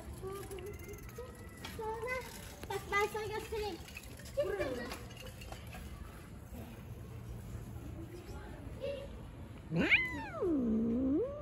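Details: Stray street cats, one slapped by another; a drawn-out meow rising then dipping low near the end, after shorter harmonic mews, with people talking and outdoor street noise throughout.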